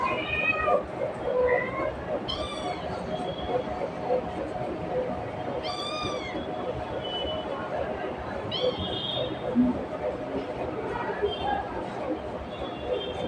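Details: A cat calling its mother, heard as several quieter, wavering meows spaced a few seconds apart over a steady background hiss.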